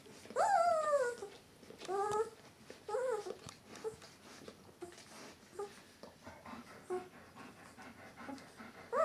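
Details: Eleven-day-old White Swiss Shepherd puppies from Donja's C litter whimpering: a long, high, falling whine opens, followed by shorter arched whines, then softer scattered squeaks fading toward the end.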